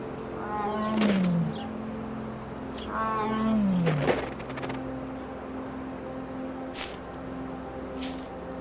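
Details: An Amur tiger, over 400 lb, in snowy taiga forest in darkness gives two deep, moaning roars about three seconds apart, each sliding downward in pitch, over a soft sustained musical drone.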